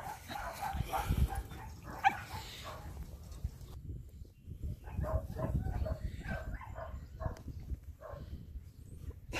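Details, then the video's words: Miniature Dachshund puppies playing with a five-month-old Pug: a burst of low, harmonic growls and yips in the first seconds, then a quieter run of short, repeated play noises over rumbling background handling sounds. "Mini Dachshund puppies playing with 5 months old Pug."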